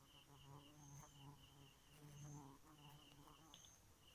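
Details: Bee at night, a low steady buzz with repeated swelling hum bursts, accompanied by faint high tonal chirps recurring through the recording.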